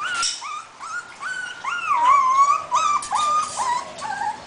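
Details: Husky puppy, a talkative female, whining indoors: a steady series of high, nasal, wavering whines that rise and fall, some drawn out, others short and yelping, repeated almost without pause.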